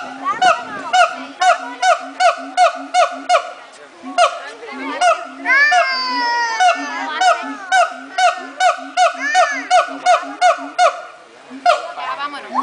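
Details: Monkeys at the Miami zoo making noise: rapid honking calls repeated nearly three times a second in a steady run, broken midway by a burst of rising, whooping cries before the honking resumes.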